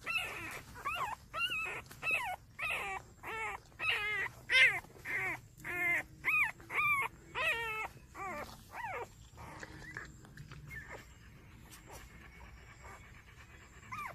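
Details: Five-day-old puppies, the litter of a dog named Ryan, whimpering and squealing in a steady series of rising-falling cries about every half second, fading toward the end with a low background hum.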